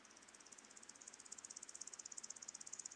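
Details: Woodland grasshopper, Omocestus rufipes, on Gaisberg, Austria, 15 September 2023: a rapidly pulsed, high, dry ticking stridulation, about ten pulses a second, growing steadily louder through the phrase.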